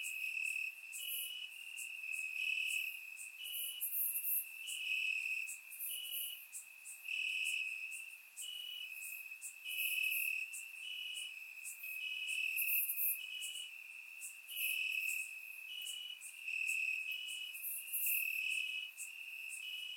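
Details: Crickets in grass at night during a warm Bulgarian summer, captured with a surround microphone; dense high chorus of rapid pulsed chirps, rhythmic swells every second or so over twenty seconds.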